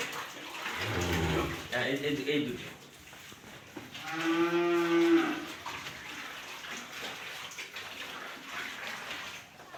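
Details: Cows at Shamim Dairy Farm, Bogura, lowing twice: a rough, broken moo early on, then a long, steady, resonant moo lasting over a second, over constant farmyard noise.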